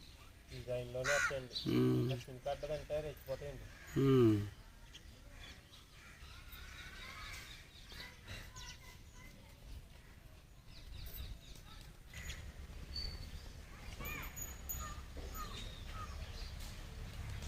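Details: An Ongole calf with its mother gives three or four brief, hoarse, harmonic moos that drop in pitch, then people talk amid outdoor noise.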